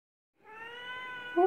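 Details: Young Oriental or Siamese cat kitten at a cattery giving a long, steady, tonal meow with clear stacked harmonics, ending in a louder rising wail.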